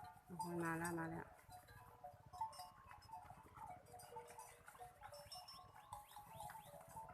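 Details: Water buffalo coming home in the evening: a single steady, low, droning moo lasting about a second, followed by a busy backdrop of repeated chirping calls, rustling and faint voices.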